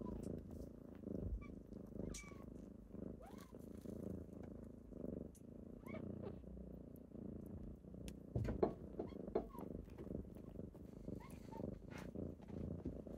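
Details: Kittens waking their owner on a typical morning purr in a continuous low drone, with a few faint, thin meow-like squeaks and light rustling layered over it.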